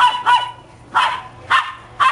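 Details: Happy pups at playtime letting out short, sharp barks in quick bursts, five within about two seconds, over a steady low hum.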